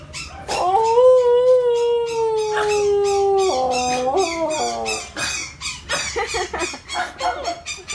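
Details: Pet Siberian husky, one of the household's own dogs, howling or 'singing' in a mini concert: one long sustained tonal howl, steady at first, then stepping down in pitch after about three seconds, followed by short broken yelps.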